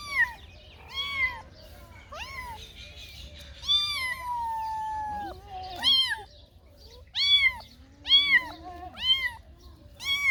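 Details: Cats meowing in varied calls: short chirpy meows, one long drawn-out flat wail lasting over a second, then several sharp arched meows in quick succession near the end.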